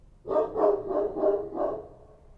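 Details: Kochi street dogs at night in Kabul, Afghanistan, giving five quick, harsh barks in close succession, steady and fairly loud.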